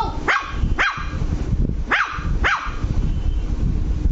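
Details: Luci, an angry Lhasa Apso puppy, yaps four times in quick pairs, each bark sharp and high with a falling tail, then quiet except a low rumbling background.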